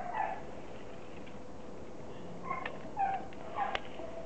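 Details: Border Collie puppy, fifteen weeks old, giving short high whimpering yelps: three brief tonal squeaks in the last half, each under half a second, over a steady low background hum.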